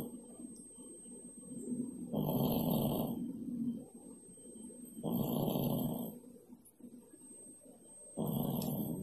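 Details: Snoring of Pak Pak, a cat dozing beneath the stove, one of twelve looked-after cats: three long, rasping, low snores of about a second each, spaced nearly three seconds apart, with soft room hum in the gaps.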